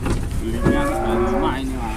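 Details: Cattle at the Muntilan livestock market in Indonesia, a large jumbo animal: a short, low, drawn-out moo with a wavering pitch, over market chatter and vehicle noise.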